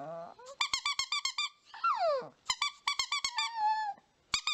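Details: Chihuahua in a funny dog compilation, indoors: rapid runs of short, high-pitched squeaky yelps, then a drawn-out falling whine, more quick yelp bursts and a long level whine, ending in two sharp yips.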